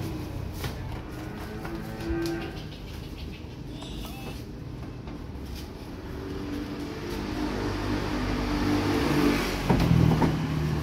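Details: Fresh stock of calves and breeding cows just arrived: cattle give a couple of moos, one near two seconds and a louder, rising-then-falling moo near the end, over constant low background rumble.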